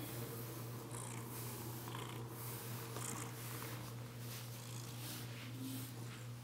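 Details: Steady low purring from a female Bengal cat enjoying a brushing session indoors, broken only by repeated soft swishes of the brush through her fur.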